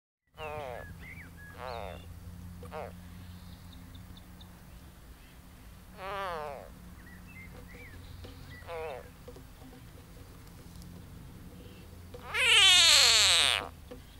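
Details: An edible frog (Pelophylax kl. esculentus) being swallowed by a grass snake (Natrix natrix) gives loud, harsh, wailing cries in separate bursts, with a steady low hum underneath.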